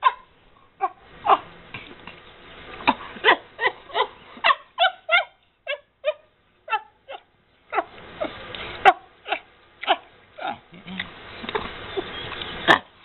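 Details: Happy squeaks from Emma, a 13-year-old rescued chimpanzee at Chimps Inc sanctuary in Bend, Oregon, with every bite of a Cheerio necklace; a long run of brief, bright harmonic squeaks, fast and uneven, with a brief pause midway and faint rustling.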